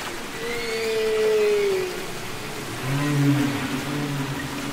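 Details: Singing humpback whale underwater, from the Capitol Records ST-620 album: a sustained, slightly falling moan lasting about two seconds, followed by a lower, buzzier drawn-out tone, with constant watery hiss behind.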